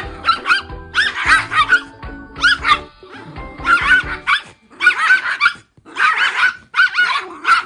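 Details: Two small dogs, a red female toy poodle and a visiting dog friend, barking in a sudden fight after playing together indoors: sharp, yappy bursts in quick clusters over loud background music.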